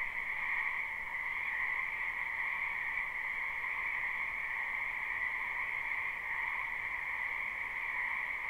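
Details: Spring wetland frogs heard in a live recording, croaking together behind a house: a continuous massed trill with a bright upper band and a softer lower band, seamless and steady, with no other clear sounds.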